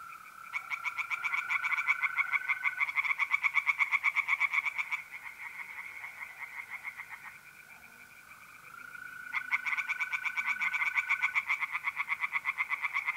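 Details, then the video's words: Night chorus of tree frogs in a north-east Italian pond, mid-April, alongside trilling mole crickets: bursts of fast rhythmic croaking lasting a few seconds, a quieter gap near the middle, then the pulsing resumes over a continuous high-pitched trill. "relaxing singing tree frogs in pond and trilling mole crickets by night"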